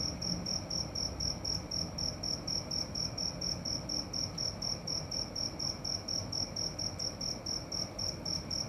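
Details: Nighttime cricket giving evenly repeated high chirps, roughly 120 a minute, each a brief pulsed trill, over a soft constant low background hum.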